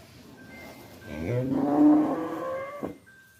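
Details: A cow lets out a softer, swelling moo of about one and a half seconds against a noisy background with faint steady tones and a brief knock near the end.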